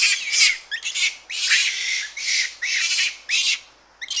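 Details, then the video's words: Japanese macaques, several animals recorded close up, giving screams and aggressive calls: about eight harsh, high, noisy bursts of uneven length in quick succession, separated by short gaps, with rustling in trees and birds in the background. "Japanese Macaque / CU Screams And Aggressive Calls"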